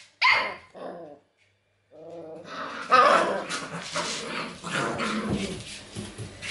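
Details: Dog training session using acoustic and optical stimuli: a sharp bark, a brief pause, then a run of rough, overlapping growling and barking noises with background commotion.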